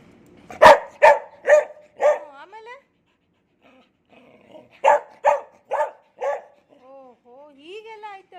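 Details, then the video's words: A pet dog named Cherry, which looks after kittens, makes a run of four quick yowling barks, a pause, then four more, followed by soft wavering tonal whines, as a woman speaks to it in Kannada. "ಮುದ್ದು ಚರಿಯ ಮಾತು ಕೇಳಿ cherry talking take care of kittens"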